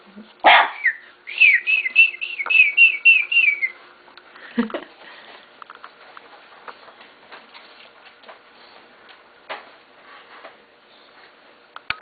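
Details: Bulldog puppies waking up in the morning: a sharp yelp, then a quick run of about eight high, squeaky whines falling slightly in pitch, a short lower whimper, and then faint scratching and shuffling.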